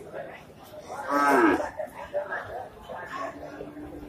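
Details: Male Indian cattle bull rampaging as it enters the Pasar Wage Bumiayu livestock market in Indonesia, 2022, six days after Eid al-Fitr; one loud, drawn-out bellowing moo midway through, amid crowd chatter and market noise.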